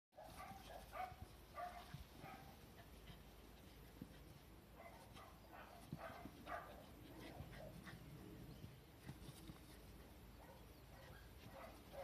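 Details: Retired female Cardigan Welsh Corgi named Karen, in heat and courting a male named Lucky, filmed 14 May 2020: short high whines and whimpers repeated in uneven bursts, some rising and falling, over a low rumbling background.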